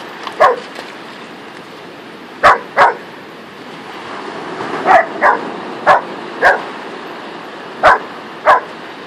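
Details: Whippet Louie and Saluki Luna playing together in the sand on a beach; short sharp barks and yips come in scattered ones and twos, about nine over the stretch, with a steady background hiss between them.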